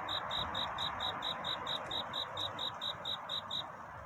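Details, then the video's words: Courting cricket at night near dawn: sharp high chirps pulse about four times a second, then stop just before the end, leaving only a faint background hiss. "편안한 잠을 부르는 귀뚜라미 울음소리. 슬퍼 말아요 우는 것이 아니라 사랑을 찾는 노래랍니다"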